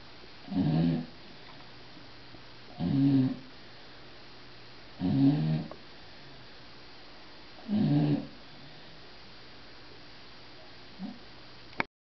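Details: Bulldog snoring indoors, loud enough to hear through a closed door with a television on: four regular low, rough snores about every 2.4 seconds, then quiet, ending in a brief click.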